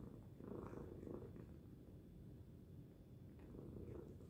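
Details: Loud purring from the domestic cat Tacy, a dense low vibrating rumble with soft rhythmic rises and falls over a few seconds.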